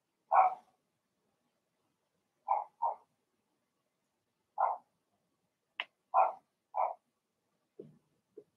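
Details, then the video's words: Cavalier King Charles Spaniel puppies, Blenheim litter of six, in an indoor puppy pen: short high yappy barks, single and in pairs, scattered irregularly, with a few softer grunting yips near the end. "Cavalier Puppies Bark, Howl, and POOP"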